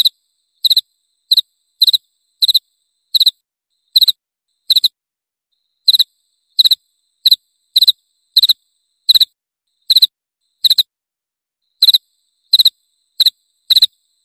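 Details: Cricket sound presented as a rat repeller: shrill chirps of two to three rapid pulses each, repeated at slightly uneven intervals with a brief pause midway, the high ringing tone carrying bright overtones over a silent background.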